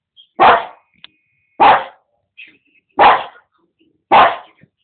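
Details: A Boston Terrier barking at other animals on TV: four short, sharp barks evenly spaced a little over a second apart.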